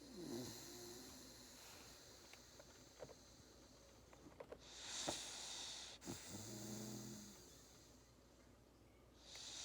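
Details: Labrador Retriever puppy asleep and snoring during a nap after playing; raspy breathy snores with a couple of short nasal snorts and faint whimpery tones, plus a few soft clicks.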